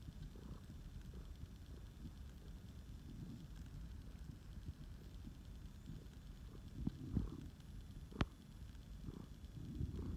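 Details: Snuggling flame point Siamese named Phoenix purrs in a deep, even rumble with gentle periodic swells; a couple of sharp clicks or taps break in late.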